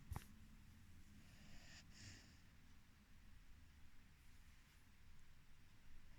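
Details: Floki, a 4-month-old Rhodesian Ridgeback puppy, snoring: low, rumbling breaths fill the bottom of the range, with a brief airy, hissing exhale near the two-second mark in an otherwise quiet indoor room.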